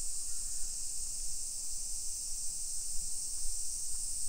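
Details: Summer cicada chorus in suburban Nisshin, Aichi, Japan, 28 July 2021 around 1 PM: an even, sizzling high buzz fills the air without pause, over soft low background noise.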